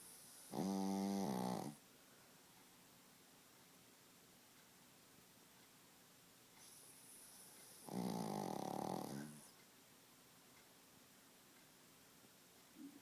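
A Pekingese snores in two long, rattling breaths separated by several seconds of quiet.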